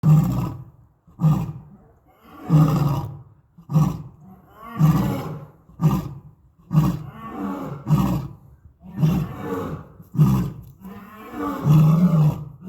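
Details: Lions at Topeka zoo give loud, deep, rhythmic grunting roars, each burst low and pulsing, repeated about once a second.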